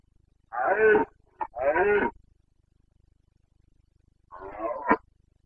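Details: During the September rut in Bucovina's Carpathian forests, a red deer stag gives two hoarse roars about a second apart, a brief grunt between them, then a further rasping bellow after a pause.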